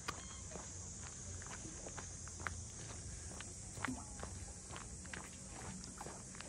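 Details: Continuous shrill cicada drone in the port-house townscape of Ine, north of Kyoto, Japan, with regular footsteps of someone walking and faint voices in the background.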